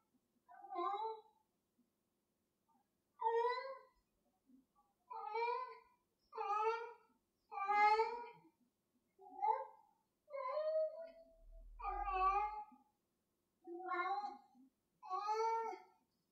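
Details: Pet cat meowing while playing with a piece of string: nine or ten short, bright meows at irregular intervals of one to two seconds, some rising and some bending downward, with a soft low thump midway.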